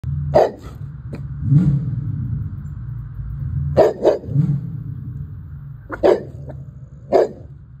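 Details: Cane Corso barking and growling: about six deep, loud barks come singly and in pairs, with low rumbling growls between them over a steady low background hum.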